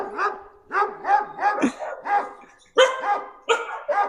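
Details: A dog barks back at a played recording of a dog, with about a dozen harsh, evenly spaced barks in quick succession and a short pause midway.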